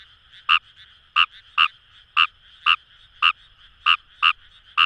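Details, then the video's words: Kawamura's rice frog in the Kamo River rice fields of Itoshima, Japan, producing spaced, punchy croaks about one every half second, with softer calls from other frogs and a steady chorus filling the gaps. "Wild Frog Call | ヌマガエル"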